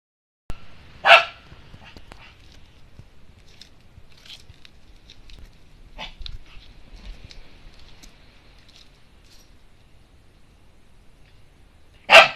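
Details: Shiba Inu barking hard at a new toy it has just been given. Two loud, sharp barks, one near the start and one at the end, separated by about eleven seconds of quiet rustling and faint knocks.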